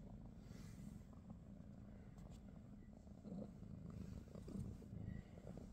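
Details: Morning purr from a British Shorthair cat in a household with Pikachu, Teddy and Rosie; a soft, grainy rumble holds steady, swelling slightly in the second half, with faint small handling noises.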